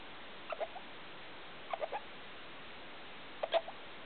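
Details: Pet degu making strange sounds in the night, about 2 a.m.: three small clusters of soft, quick chirps, two or three notes each, separated by pauses of about a second, with faint room hiss.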